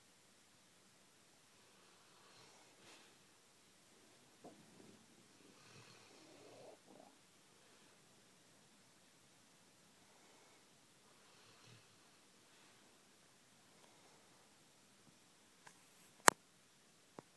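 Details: Sleeping Labrador Retriever named Chrystal snoring indoors: soft, breathy rasping snores in slow swells about every two to three seconds, quieter stretches between, then a few sharp clicks and a loud knock near the end.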